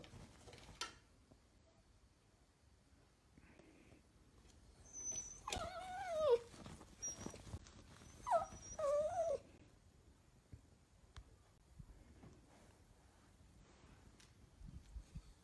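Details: Miniature Dachshund whimpering indoors: two wavering, rising-and-falling whines with clear overtones, each lasting about a second, set apart by a short pause, against a quiet room with a faint high whistle.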